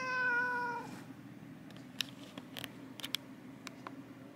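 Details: Housecat meowing once in a Japanese home, a bright, steady, harmonic call of almost a second. After it come scattered light taps and clicks against quiet indoor background hum.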